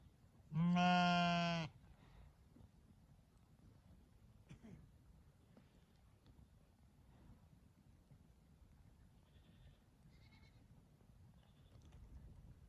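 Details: Sheep, ewe with lamb, gives one strong, wavering, harmonic baa lasting about a second at the start, followed by quiet low rumble and a few faint distant bleats.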